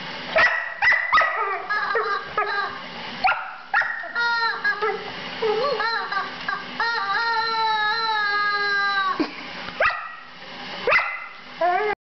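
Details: Female Border Collie at play with a rubber chicken, uttering drawn-out whines and squeaky yips, some long falling tones around the middle, with a person's voice calling chicken.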